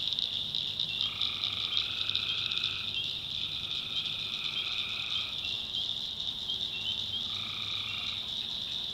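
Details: Night chorus of tree frogs in the backwoods of North Carolina, swamp habitat: a continuous shrill pulsing wall of calls, over which drawn-out buzzy trills of about one to two seconds come and go three times.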